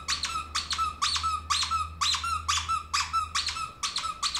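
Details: Pet ferret jumping about like a dog in a small room: bright, harmonic squeaks in a steady run, roughly two per second, with a faint low hum beneath.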